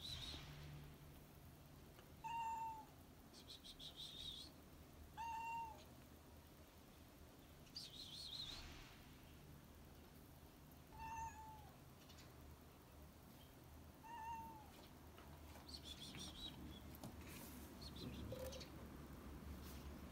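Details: A stray cat on a roof, hungry and meowing for food: short, clear, slightly falling meows, repeated about every three seconds, with high bird chirps trilling in the background and a steady low hum.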